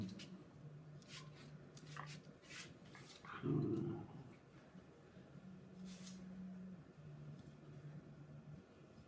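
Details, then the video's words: Nine-year-old Miniature Schnauzer play fighting with a young Russian Blue kitten; low, rumbling growls come in long stretches, with a louder burst in the middle, and faint scuffling clicks between them. "Maisy the Miniature schnauzer vs Frankie the Kitten (play fight)"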